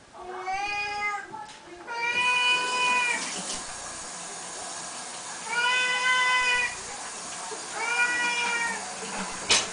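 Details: Siamese cats calling at feeding time, a morning and night ritual: drawn-out, steady harmonic meows repeated about every two to three seconds over a constant background hiss.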